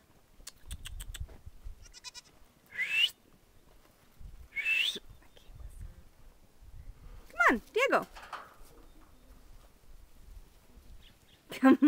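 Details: Young goat kids playing in a farm yard on Mother's Day; several short wavering bleats, some high and rising, one dropping sharply, scattered between soft rustling, footsteps and a person calling to the animals.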